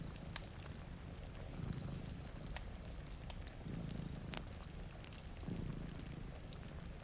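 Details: Rumbling, even purr from cats napping in front of a rainy window, pulsing with each breath roughly every two seconds, while a fire crackles and rain patters quietly.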